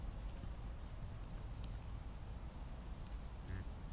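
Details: Red deer stag roaring during the 2023 rut, captured by a trail camera in a year when far fewer stags came to the rutting ground; a deep, steady, harmonic rumble that fills the whole stretch, low and unbroken.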